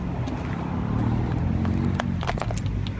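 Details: A steady low vehicle rumble fills three seconds, with a few sharp clicks and knocks toward the end and no animal voice.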